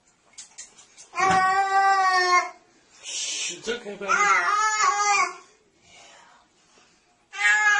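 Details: Domestic cat giving a long, drawn-out, strongly tonal meow lasting over a second, followed by a second wavering cry; a person speaks soothingly in English between the calls, reassuring the cat that it is just water.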